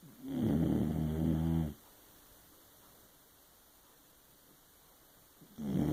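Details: Pet dog sound asleep indoors, snoring loudly: a harsh, rumbling low snore for about a second and a half, then quiet, then another snore starting near the end.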